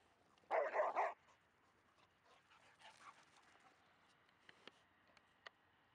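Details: Labrador Retriever, a pet female, vocalising during play with a Staffordshire Bull Terrier; one long loud growling bark-like burst, then faint scuffling and a few sharp clicks.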